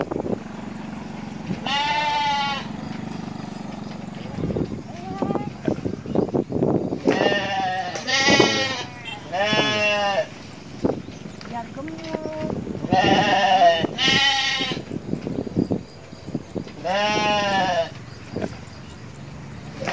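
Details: Goats with a young herder playing among them in Indonesia: several wavering, nasal bleats, some long and quavering, repeated through the recording, with a child's voice, clicks and background chatter between calls.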